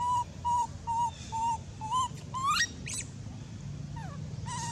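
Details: An abandoned monkey cries very loudly: a run of short, clear, level whistled cries repeated about twice a second, then a longer rising squeal and a falling note, with a low background hum.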